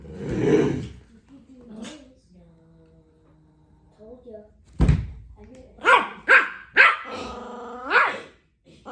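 A Pomeranian puppy starts with faint, low rumbling growls before breaking into several shrill, ringing yaps. The last bark is drawn out and drops in pitch, and a person's voice is briefly heard.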